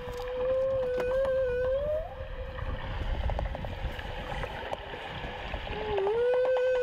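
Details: A single male humpback whale singing off Queensland's Gold Coast during migration, caught by a small hydrophone with the boat right above him: long smooth tonal moans near one pitch, sliding up and down with upper harmonics, over boat and water noise.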